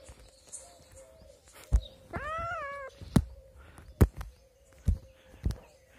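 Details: Kitten among adopted street cats gives one clear meow, rising then sliding down and lasting under a second, set among sharp tapping clicks and a faint steady hum.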